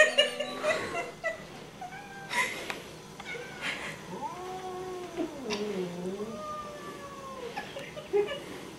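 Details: Domestic cat stuck on a blanket, snorting and growling; a run of drawn-out, wavering yowls that rise and fall in pitch, one after another, with brief clicks and rustles between them.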